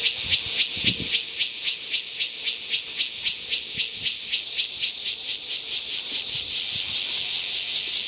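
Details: Strongly pulsed cicada call, crisp rasping bursts repeating about four times a second in an even rhythm, very high and bright, with a faint low tone and occasional soft thumps in the background.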